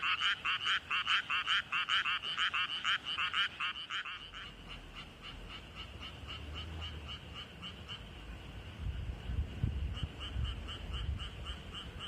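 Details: Frog calling at the recordist's feet in a flooded rice paddy, throat swelling hugely: about four seconds of loud, rapid, rasping pulsed croaks, then a fainter, steady chorus of many frogs, with low rumbling noise toward the end.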